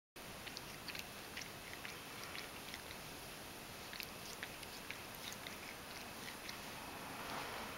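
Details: Ragdoll cat named Mojio grooming contentedly while tucked inside a kotatsu. Quick, wet licking clicks tick irregularly over a steady hiss.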